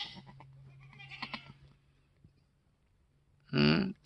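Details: Freshly born F4 Mini Alpine buckling, black with white frosted ears and nose, third kid of the day on a homestead, March 13, 2021: after a woman's murmured words and a silent pause comes one loud, rich, nasal bleat near the end.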